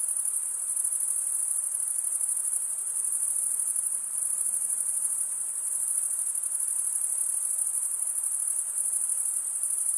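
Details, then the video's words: Continuous high-pitched cricket chirping, made by males drawing one wing over the comb-like teeth of the other, sounds as a smooth, unvarying ringing drone throughout with faint pulsation and no other noise. "Most relaxing cricket sound"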